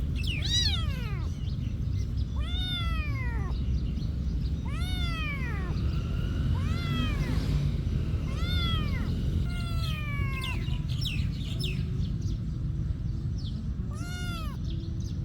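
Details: Cat at a monastery calling repeatedly, about eight arched, harmonic-rich meows in quick series every one to two seconds, some overlapping, ending with a short meow near fourteen seconds, over low steady background noise.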